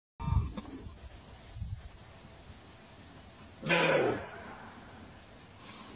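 A roe deer gives a single harsh, hoarse, bark-like burst amid quiet background hiss.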